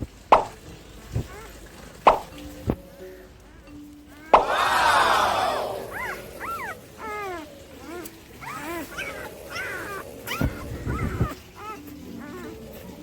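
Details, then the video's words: Labrador Retriever puppies yawning indoors: a loud, breathy squeal sliding downward, then a run of short, high, arched squeaks and whines, scattered with sharp taps and knocks. "MY LABRADOR PUPPIES ARE YAWNING IN FUNNY WAY"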